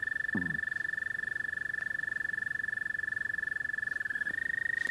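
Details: American toad's mating call, a continuous high pulsed trill running the whole clip, with a brief low sound near the start and a slight pitch step near the end.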